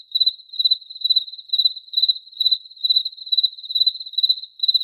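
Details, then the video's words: High, pulsed cricket chirps, each a quick trill of several clicks, arriving about every half second in steady succession, with nothing else audible. "Cricket Chirping Sounds"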